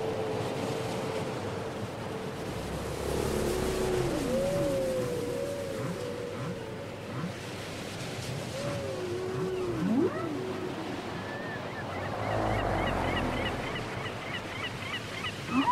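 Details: Whale song from a cassette: sustained wavering tones and curving swoops in the middle range, then rapid repeated high chirps near the end, all over constant surf-like hiss.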